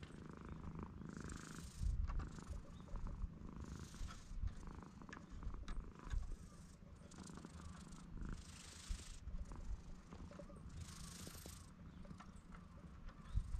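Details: Guesthouse stray cat on Tashirojima, Japan's Cat Island, settled on a table bench and welcoming a guest; GoPro HERO8 picks up a continuous low rumbling purr for about fourteen seconds, with brief higher rustling bursts above it.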